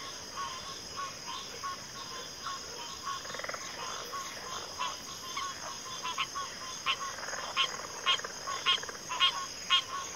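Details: Frogs calling in chorus, quiet and mixed at first, then building into loud clipped croaks repeated about twice a second, backed by a steady high-pitched insect hum.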